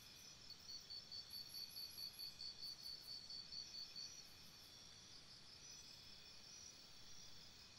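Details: At night beside a campsite, crickets chirp in a regular series of sharp high pulses for about four seconds, then fade into continuous shrill background trilling.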